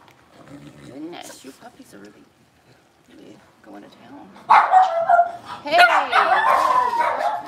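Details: Six-week-old blenheim Cavalier King Charles Spaniel puppies, a litter of five born at New Year, in a home puppy pen; after a quieter start with speech, loud high yips and barks burst out repeatedly over the second half, with people talking.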